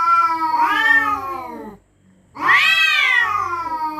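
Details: Cats yowling at night in a territorial standoff: one drawn-out rising-then-falling wail, a short pause, then a second louder, higher wail that slowly sinks.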